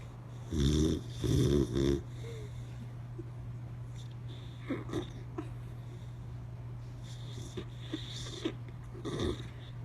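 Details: Boxer dog asleep with eyes open, giving two loud rasping snore bursts early on, then quieter scattered breathy clicks and snuffles over a constant low hum.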